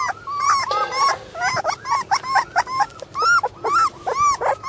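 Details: A litter of Border Collie puppy brothers squeals in quick, arched whimpers, some clipped and choppy, others drawn out, coming in uneven bursts from more than one pup.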